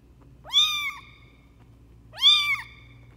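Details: Lucy, a runt foster kitten raised for a local shelter, her mother slapping and hissing at her when she tries to nurse: two high, harmonic-rich meows, each about half a second, rising then falling, spaced roughly a second and a half apart, quiet background.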